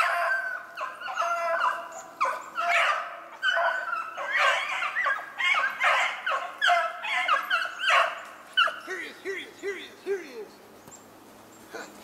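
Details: Beagles running a snowshoe hare on a 25 February 2016 hunt, giving loud, repeated bays in rapid irregular bursts, several dogs overlapping, then fading near the end into a few short, thin whining notes.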